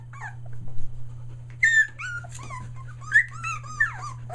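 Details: Aussie puppies almost three weeks old, near Mooresville, NC, newly vocal: thin rising-and-falling whines and squeaks come in short bursts between pauses, over a constant low indoor hum.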